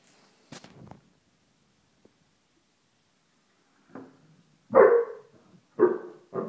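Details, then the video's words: A female Basset Hound barks deep and loud in an irregular burst at a hiss of deodorant spray early on, which she hates. "BASSET HOUND HATES SPRAY"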